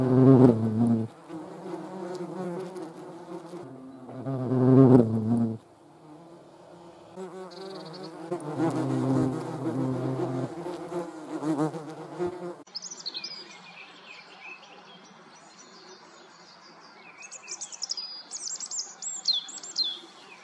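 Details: A hornet attacking wasps: loud bursts of deep buzzing alternate with softer droning for about twelve seconds, after which the hum fades and high, thin squeaky chirps take over.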